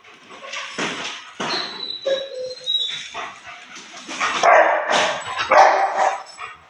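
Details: Aggressive Rottweiler on Koh Samui, Thailand, giving a run of irregular barks and growly yelps that grow louder toward the end, with some whining tones mixed in.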